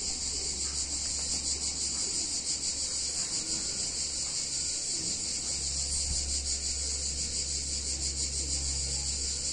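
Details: Summer cicada chorus in an Italian town on a hot day, an unbroken high-pitched buzzing wall with rapid throbbing texture, over a constant deep background rumble.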